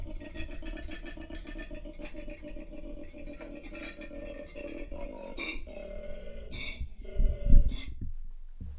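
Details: Koala; mating bellow; mating call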